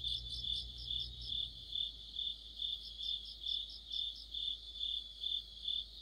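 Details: Insects led by crickets chorus in mid-autumn under a streetlamp, their high ringing chirps repeating about twice a second, with a second rapid chirper layered above at the start and a low hum fading out.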